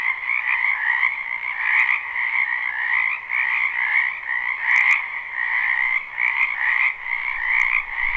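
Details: Many frogs in a spring wetland behind a home, a live unlooped recording: thick overlapping croaks form a constant two-layered chorus, pulsing softly in loudness every second or so, with a few faint clicks above.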